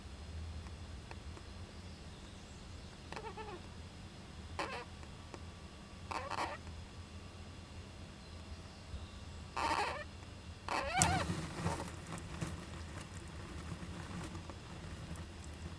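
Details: Japanese giant flying squirrel youngster inside an owl nest box on 19 July 2010, which also sneezes; several brief rasping bursts spaced a few seconds apart, then a longer scratchy outburst, against constant low-pitched humming background noise.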